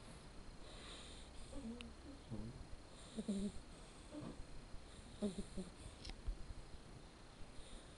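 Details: Blacke EJ Terani, a male red Shar Pei puppy born 07/10/13, snoring while asleep: soft, low, wheezy snorts and breaths recur about once a second, with a faint steady hum underneath.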